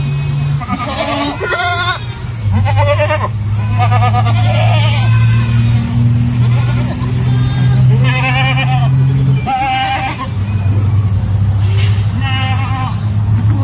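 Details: Boer goats with their kids: overlapping bleats, some loud and quavering, others short and higher, coming every second or two from several animals over a constant low droning hum.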